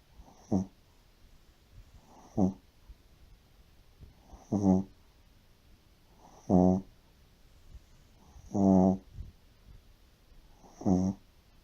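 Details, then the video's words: Soundly asleep, a Shih Tzu snores like an elderly man. Six steady, raspy, buzzing snores repeat about every two seconds, some longer and fuller than others. "SHIH TZU RONCANDO COMO UN VIEJO"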